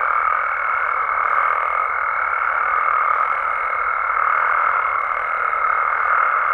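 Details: Nighttime Mexican frogs and toads make a thick continuous wall of croaking, mid-pitched and unvarying, overlaid throughout by a steady thin high tone.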